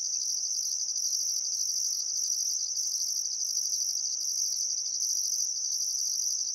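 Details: Crickets chirping by the Barcoo River at sunset in summer, Welford National Park, Queensland, Australia: constant shrill high trill beneath rhythmic bursts of an even higher buzz, with faint softer sounds lower down.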